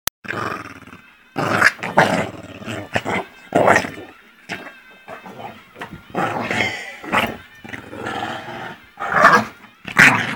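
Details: An angry Pekingese attacking its owner growls and snarls in harsh, rasping bursts, with brief pauses between outbursts.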